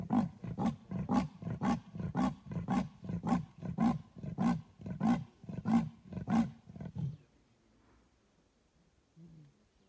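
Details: Leopard in Kruger Park, said to be crying for its lost cub: about a dozen deep, rasping, sawing grunts repeated roughly every half second for seven seconds, then near silence.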